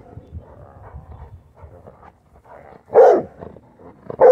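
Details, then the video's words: Pet female Rottweiler, worried about a dirty plastic bottle, gives two short loud barks after a stretch of low rustling and soft indoor noise. "the Rottweiler was worried about this dirty Gatorade bottle!"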